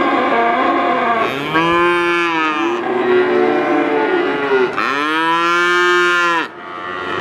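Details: Calf calling with two long, loud bawls, each starting with a sharp rise, holding a steady rich tone, then falling away, separated by a softer moo from another animal.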